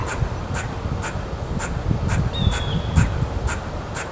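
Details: Squirrel, perhaps saying hello or annoyed, giving evenly spaced short, bright, scratchy chips roughly twice a second. A single thin whistle slides briefly past midway, with low blustery background rumble.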